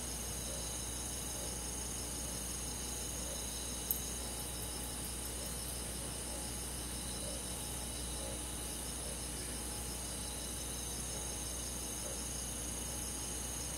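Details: Summer-night chorus of crickets and forest insects in the countryside, continuous high layered trills with faint rhythmic pulses, a low steady hum, and a brief sharp tick near four seconds.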